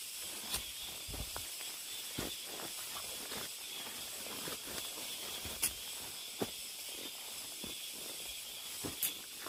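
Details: Cicadas deep in a mountain forest, heard while hiking: a dense, steady high buzzing hiss that never breaks, with soft footsteps crunching on the trail underneath.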